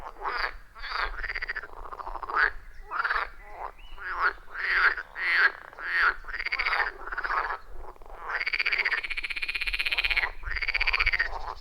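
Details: Frogs in a loud chorus at a wild forest pond, recorded deep in the forest with an iPhone 14 Pro and Shure MV88+; rhythmic croaking bursts in quick succession, some notes arching and buzzy, overlapping callers, no music or talking.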